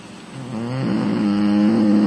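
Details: Female American Bully asleep on a lounge, snoring: a low droning snore swells gradually over two seconds into a steady, humming tone that holds to the end, in a quiet indoor setting.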